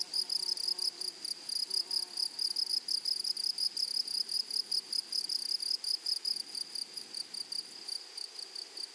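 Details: Rhythmic grasshopper song from a flowery meadow: clipped, high-pitched chirps repeating roughly four times per second in an even beat, with faint low tones early on and quiet background.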